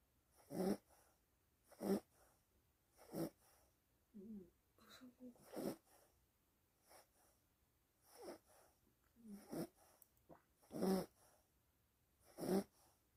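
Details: Dog snoring while asleep: rhythmic, breathy rasping snores about every 1.3 seconds, with soft wheezy whistles between breaths and a quiet background.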